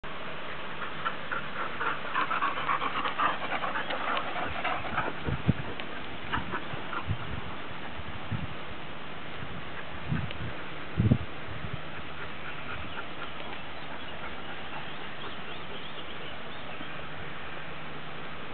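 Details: Siberian Husky pack from the Black Ridge Kennel enjoying summer, several dogs panting in quick, breathy, rasping bursts that ease off after about eight seconds, with a few soft low thumps nearby.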